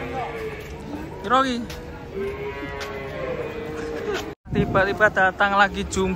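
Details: Cattle being unloaded from a truck, one rolling over: a short rising-falling moo rings out amid a steady low tone, with people talking and a burst of chatter near the end.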